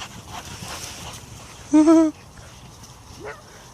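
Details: Domestic dog from a funny dog fails compilation giving one short, wavering, tonal whine-like yelp about a third of a second long, with a steady low hum and faint background noise before and after.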